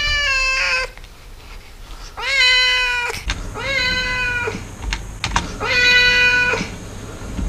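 A Siamese cat gives several long, drawn-out, nasal meows, each rising then holding steady.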